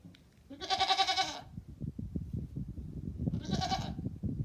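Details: A farm goat gives two wavering, nasal bleats about three seconds apart, the first longer than the second, over a steady background of low rustling and clattering.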